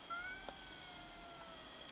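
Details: During a fight over food, a domestic cat gives one brief high meow, then a long, faint, descending cry, against a constant high-pitched background tone.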